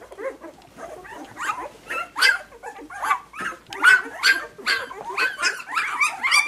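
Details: Puppies calling in a series of high, short yips and whimpers, repeated roughly once a second with rising and falling pitch, several voices overlapping.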